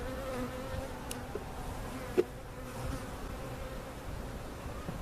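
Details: Continuous humming of honey bees at Jerome Bee Farm, Central Oklahoma, as cutout bees and comb are relocated to a permanent site; level buzzing tone with a few brief clicks and a single sharp tap.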